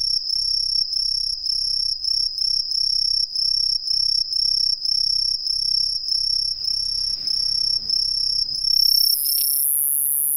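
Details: An Aomatsumushi tree cricket, common in the lowlands of western Japan, gives a loud, high-pitched, bell-like trill pulsing steadily several times a second. Near the end the song stops and a brief electronic tone sounds.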